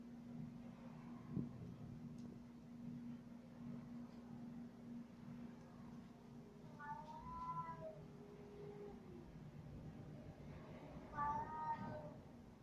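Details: A male pet cat trailing its owner around indoors gives two short, quiet meows several seconds apart, the first bending downward into a low tail, heard over a persistent electrical hum.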